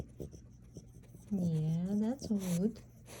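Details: French Bulldog named Maui, hiding under a sofa indoors, gives two drawn-out, low, moaning grumbles about a second each, sagging in pitch and then rising at the end, with quiet human talk just before them.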